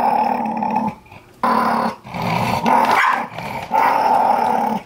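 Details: A Jack Russell Terrier guards a newly arrived bag of dog food, growling steadily in long rumbling bouts with a snarly edge, broken by two short pauses for breath.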